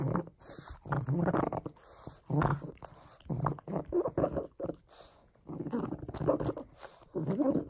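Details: A pug named Frank chews and plays with a bone, giving throaty snorting grunts in irregular bursts, some longer and rougher, with short quiet gaps between them.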